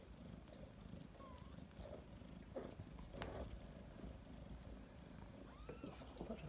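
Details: Nursing mother cat with 3-week-old kittens gives a low, constant purr, with a few thin high squeaks and quiet voice-like sounds over the rumble.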